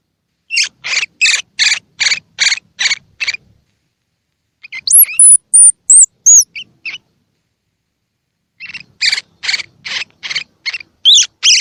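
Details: Baby squirrel calls for stimulating unweaned squirrels to feed: a quick, regular series of about eight scratchy chirps, a cluster of high swooping whistles, then another chirp series ending in thin squeaks.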